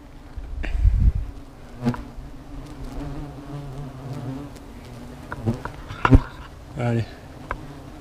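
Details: Angered hornets at their nest keep up a low whirring drone while sharp clicks, bumps and brief rustles come through over it.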